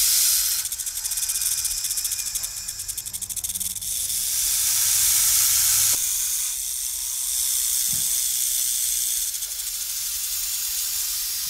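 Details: Continuous, airy snake hiss that swells and fades in long waves, with a slight break midway and a faint low rumble underneath.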